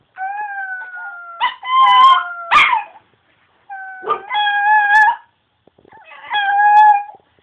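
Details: Pet Chihuahua howling at home: long tonal wavering howls, each about a second or more, steady then slightly falling, with short yips between, in three bouts over seven seconds.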